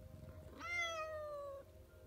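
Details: Seventh kitten of a litter, just born, lets out one short, high, slightly falling mew of about one second over faint room noise.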